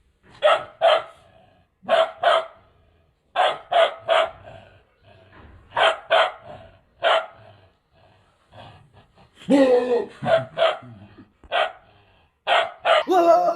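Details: Mustang Bhotia puppy aged two months barking in short doubled yaps separated by gaps of one to two seconds, with a louder rougher burst around ten seconds and faint background rustling.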